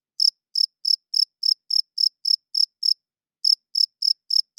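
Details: A cricket chirps loudly in the night, a rhythmic series of brief high-pitched pulses about three per second, broken by one short silence, with a quiet background.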